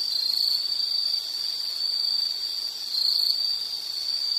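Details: Steady shrill trilling of insects recorded for calm background listening, a single high sustained tone that briefly strengthens twice, with faint buzzing insects behind.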